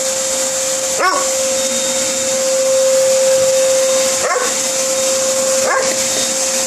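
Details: Gordon Setter objecting to a vacuum cleaner: three brief, high-pitched barks at irregular gaps of three and one and a half seconds. The steady roar of the running vacuum dominates throughout.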